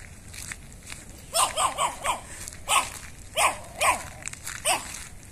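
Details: Meetang the Chihuahua, who barks each day on arriving at the house and seeing the people there, lets out about eight yappy barks in close pairs and singles over five seconds.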